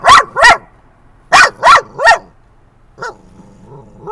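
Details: Dog barking at other dogs during a ride to a San Diego dog park at sunset: two quick sharp barks, a pause, then three more in a row, followed by a fainter single bark.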